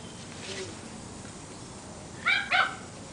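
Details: Seven-week-old Portuguese Water Dog puppies playing outside: two short, high-pitched yapping barks in quick succession near the end, after a faint earlier yip, over steady outdoor background hiss.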